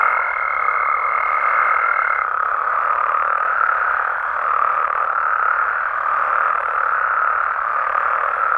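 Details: Frogs and toads at night in Mexican amphibian habitat: a dense, unbroken mid-pitched croaking chorus that swells gently, with a thin steady higher tone during the first two seconds that then stops.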